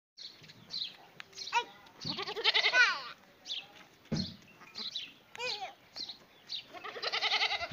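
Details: Goat meeting a dog, giving several quavering, wavering bleats in short bursts, interleaved with people talking nearby.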